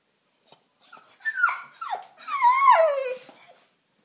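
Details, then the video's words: German Shepherd, one year seven months old, howling and whining because it wants to go outside to play: a series of rising then falling yowls, the last long and wavering, over about three seconds. "Dog Talking"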